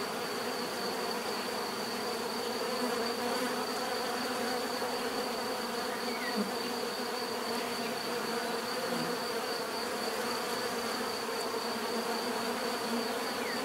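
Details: Bees produce a constant thick buzzing hum, layered pitches holding steady for the whole stretch, with faint passing flybys.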